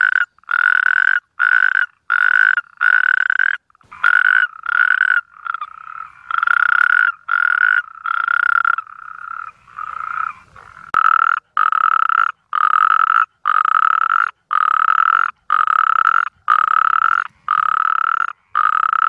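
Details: Natterjack toad mating call, a series of loud rasping trills in regular pulses, briefly overlapping and blurring midway before resuming an even rhythm of short bursts separated by silences.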